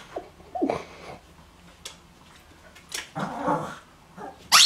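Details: Dog at mail time, excited, giving a few short, squeaky, yelping bursts separated by quiet gaps, with a sharp louder sound at the very end.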